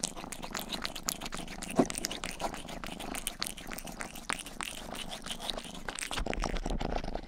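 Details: Domestic cat Rang-i grooming ears with quick wet licks while a faint low purr runs underneath; licking strokes come in irregular bursts and end with a brief rustle.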